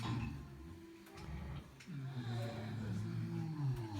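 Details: Sleeping pigs snoring: low, rough, droning tones rising and falling in uneven waves throughout, with a few faint clicks and knocks in the background.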